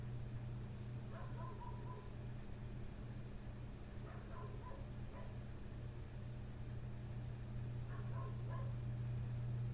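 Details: A neighbour's dog barking at night outside a window, the barking having gone on from 1:30 am toward 3 am; three separate bursts of short, harmonic yaps in quick clusters, spaced a few seconds apart, over a loud, steady low hum.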